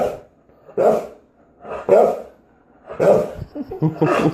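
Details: Jealous dog seeking attention lets out a series of short, rough barks about once a second. The voice is hoarse and mid-pitched, with a quieter, jumbled vocal burst at the end.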